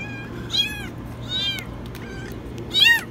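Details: Shrill, very high meows from a kitten stuck in a washing machine: three quick arched cries in three seconds, the last the loudest, over a faint low hum.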